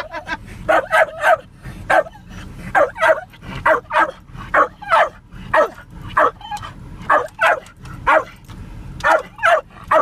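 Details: Spike, a Jack Russell Terrier riding in a car, barks at cows he sees, sharp high yappy barks in quick bursts, often doubled, roughly every half second to second over a low engine rumble.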